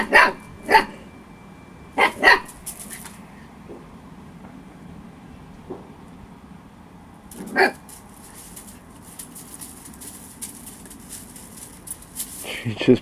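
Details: Storm, a playful 8-week-old female Husky pup, yips in scattered pairs of high barks with long quiet gaps, while a hissing, crackling noise fills the later part alongside a final bark.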